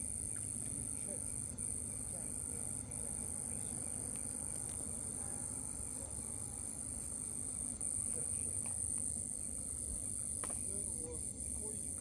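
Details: An unidentified cricket, recorded 14 May 2025 around 21:18, sings a steady, very high-pitched unbroken trill over a low background rumble.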